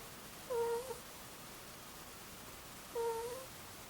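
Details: Two-year-old Angora ferret Mutchin snoring in its sleep: two soft, clean whistled 'kuu' tones, each about half a second long, spaced roughly two and a half seconds apart against quiet background hiss.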